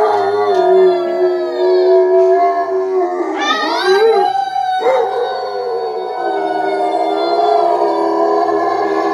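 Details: Pet dog at home howling along with singing girls while music plays, a long sustained tonal howl with a wavering rise in the middle, human voices and music blended throughout.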